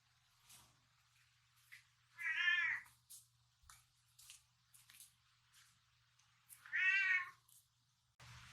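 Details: An indoor four-year-old male platinum mink Tonkinese cat asks for a night snack. It gives two drawn-out, wavering meows about four seconds apart, with quiet clicks, taps and rustling in between.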